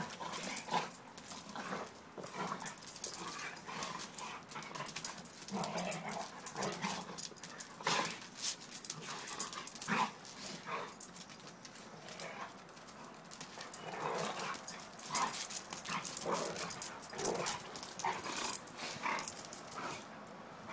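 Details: Two dogs, a Pitbull and a German Shepherd, playing and having fun together; rough bursts of growls, yips and scuffling noises come in quick irregular clusters throughout, with a faint voice now and then.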